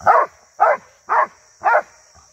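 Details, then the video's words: Rhodesian Ridgeback dog barking while attacking cattle, 2022: four loud, harsh barks evenly spaced about every half second, with a faint steady high whine in the background. "Ridgeback Attacking Cattle | Rhodesian ridgeback dog attacking 2022"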